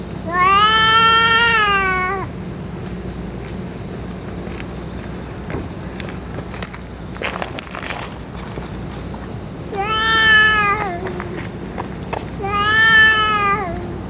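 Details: Outdoors among stray cats, a boss cat after eating food and medicine; three long level meows, one at the start and two near the end, separated by a quieter stretch of rustling and faint background noise.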